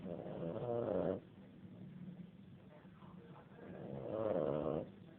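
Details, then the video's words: A dog snoring in two long, rasping breaths, one at the start and another near the fourth second, each with a buzzing, harmonic-rich rattle and a quiet, low hiss between them. "Perro Roncando"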